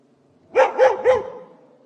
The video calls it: Dog Barking sound effect